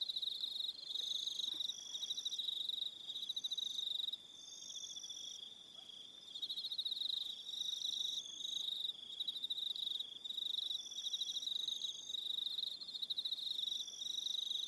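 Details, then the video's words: Aroha Island, New Zealand, at evening: many crickets produce a sustained high-pitched trilling chorus, layered bands of rapid pulses with intermittent longer notes, briefly softer near four seconds. "Relaxing Evening Sound of Crickets"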